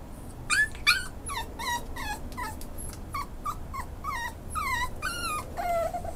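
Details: Male Schnauzer seeking a foster home gives a rapid run of high, thin whimpers and yips, each sliding downward in pitch, about two per second, over a soft steady indoor hum.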